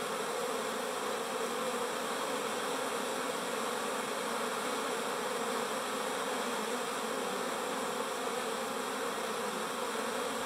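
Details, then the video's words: Many busy bees produce a continuous, droning hum, thick and unbroken from start to finish, with a slight rough flutter in the low tones and no other noises. "Bees buzz"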